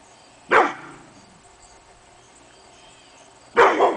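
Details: Morning barking from Hemi Bleu, a pit bull, in August: two isolated harsh barks three seconds apart with a hushed background between.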